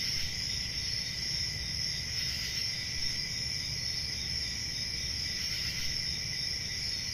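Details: Constant high, ringing cricket trills blend into one steady wall of sound, with a muffled low rumble underneath.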